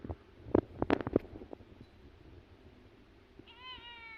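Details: A cat gives one short meow near the end, a clear tonal cry with stacked harmonics that rises slightly and then falls. Before it come a run of sharp clicks and knocks.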